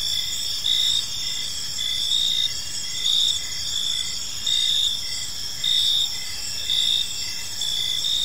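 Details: Park crickets chirping in the evening, a bright steady ringing drone with pulsed high notes and periodic louder swells every second or so, accompanied by light low ambient noise.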